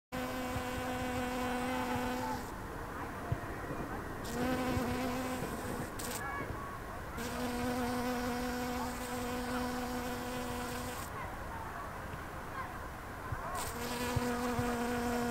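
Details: Very loud bee filmed on 10 September 2020, louder than the usual bees around. A steady, deep, droning hum in several bursts with strong overtones, broken by short pauses as the insect moves.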